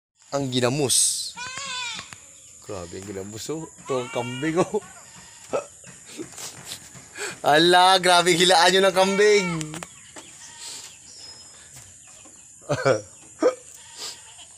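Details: Goats in Mindanao, Philippines, giving wavering, quavering bleats in short bursts, one long loud bleat near the end of the sequence, with quieter pauses between calls.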